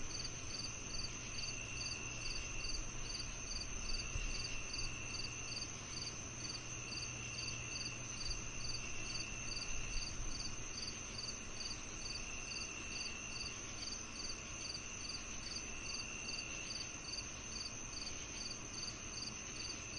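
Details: Crickets chirping in a chorus with cicadas: short, bright pulsed chirps repeating about two to three times per second over a steady, shrill high drone and a fainter lower continuous hum throughout.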